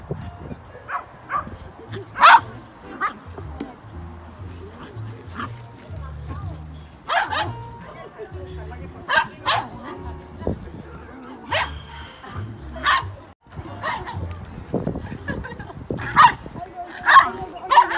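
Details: Dog barking at an off-leash dog playground, sharp broadband barks in irregular bursts, some in quick pairs or triplets, with short quiet gaps, over a steady pulsing beat of background music and occasional speech.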